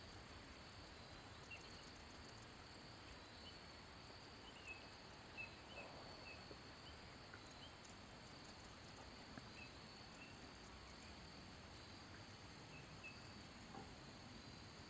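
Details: ['Song of a handsome meadow katydid, made by rubbing its wings: a long run of rapid, very high ticking pulses, fairly steady throughout, over soft background noise.']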